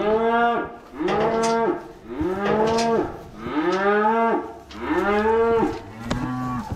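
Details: Cattle being moved home, five strong moos in a steady sequence, each about a second long with clear arched harmonics and short pauses between, little other sound.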